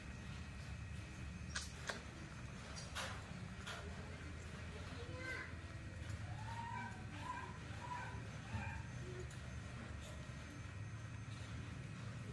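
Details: Baby monkey Nomi, a rescued infant, throwing a tantrum because she wants to drink milk: thin, wavering squeals rising and falling, clustered mid-clip, over a low steady hum, soft clicks and a human voice talking nearby.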